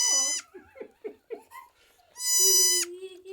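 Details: Newborn male Nigerian Dwarf goat kid, one of three kids just born to a farm doe: a short high bleat, then soft murmured speech and small noises, then a second long, steady, nasal bleat, with a low hum continuing after.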